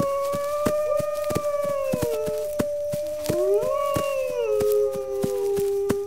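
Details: Several wolves howl together in long, steady, overlapping tones. Some hold level while others slide downward or swoop up and then settle lower. Frequent sharp crackling clicks run through the whole chorus.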